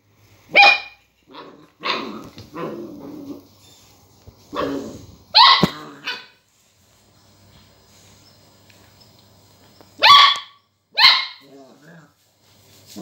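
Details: Border collie puppy barking at a lemon it meets for the first time: a run of about eight high, sharp barks and rougher growly yaps in bursts, a pause, then two more ringing barks.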